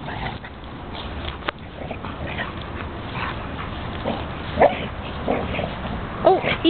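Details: Two dogs at play, Lucky the foster dog rolling Buddy the Basset Hound like a beach ball; brief scattered yips and whimpers with a few short tonal squeaks, over rustling scuffles and a person repeatedly urging "easy".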